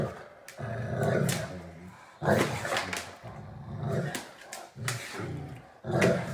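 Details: Two Great Danes at play, arguing over a bone as one tries to take it from the other; low, rumbling growls in four throaty bursts with rasping, grumbling vocal noises between them.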